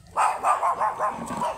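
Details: Beagle named Leomord, a stud dog kept for breeding service at Gueguesangen, Santa Barbara, Pangasinan, giving a quick run of about six sharp, mid-pitched barks in little over a second, evenly spaced and slightly fading toward the end.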